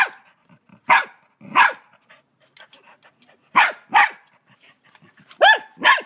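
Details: A frightened dog in Australia barks at a huge mantis it tries to bite: loud, harsh barks in pairs, about six across the clip, separated by short pauses with faint rustling between them.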